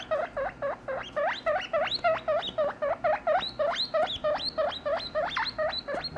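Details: A guinea pig gives a contact call of rapid, rising squeaky whistles, several per second, calling another guinea pig; young pups under three to four weeks use it when they lose sight of their mother.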